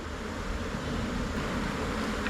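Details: Thai cavity-nesting honey bees swarming and moving into a new hive box, a dense continuous droning buzz with a broad low hum throughout and no clear pauses.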